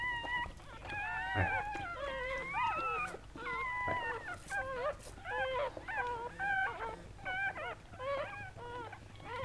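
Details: Amid Sandy the Goldendoodle giving birth to seven puppies, a steady stream of thin, quavering whimpers, short and closely spaced, some sliding upward, others dipping, against faint room hum.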